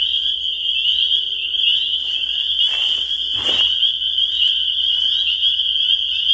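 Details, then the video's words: Spring peepers in full chorus: a dense, continuous band of high, shrill peeps merging into a steady ringing whine, with a few brief rustling or handling noises in the middle. "The Sound of Spring Peepers"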